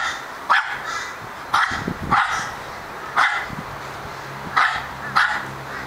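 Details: Male Australian Terrier barking in short, sharp, repeated bursts, six loud barks spread unevenly over about six seconds, with quiet indoor background between them.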